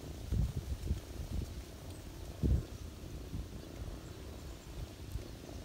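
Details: Deep rhythmic purr of a ginger cat feeding kittens while resting on a person's knees in autumn, a dense low rumble with two louder thumps of movement.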